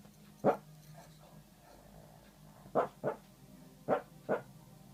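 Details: Little dog barking in his sleep, recorded 9 February 2014: five short, muffled woofs, one alone near the start, then two close pairs about a second apart, over a quiet room.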